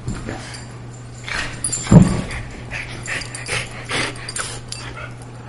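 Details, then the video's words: Pet greyhound and Boston terrier at everyday play; soft scuffles and panting build to one sharp, loud growling burst near the two-second mark, followed by lighter snorts, with a constant low hum behind. "Greyhound playing with Boston Terrier"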